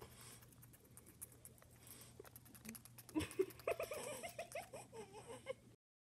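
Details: After a quiet start, a guinea pig gives a quick run of short, clipped chattering sounds like snipping scissors. This is an angry, frustrated sound, made here because the guinea pigs wanted carrots.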